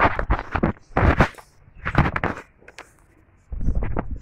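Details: People talking in short bursts with pauses, plus scraping and footstep-like noises at a cattle sale in Homna, Cumilla; no animal calls are heard.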